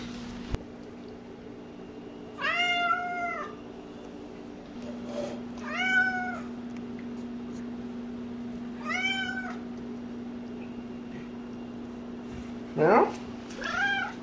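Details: Talkative house cat Cassidy calling repeatedly indoors with four or five clear, arched meows roughly every three seconds. A person answers with a questioning rising "meow?" and a constant mechanical hum sits underneath.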